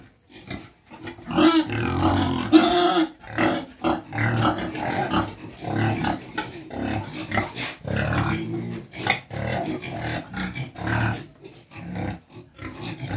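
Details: Native pigs at feeding, grunting and snorting in a steady stream of short rough pulses, with occasional louder squeals and a faint human voice in the background.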